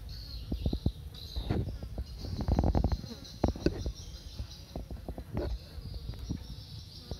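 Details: Honey bees streaming in and out of their hive while foraging, giving a low, steady droning hum broken by frequent sharp clicks and knocks and a few brief higher whines.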